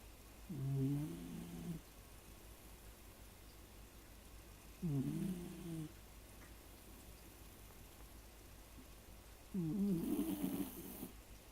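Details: A sleeping Shiba Inu snoring, three low, rough, rattling breaths spaced about four seconds apart over quiet room background.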